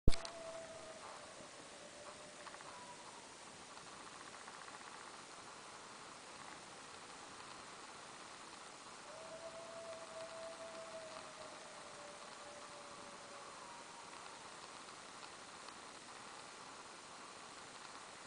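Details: Coyotes howling at twilight: a long, drawn-out tone near the start, then after a pause another sustained howl sliding gently downward, distant and thin over steady hiss.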